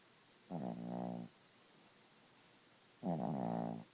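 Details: Gidget the Chihuahua snores in her sleep, two loud buzzy breaths each under a second long, roughly two and a half seconds apart, with quiet in between.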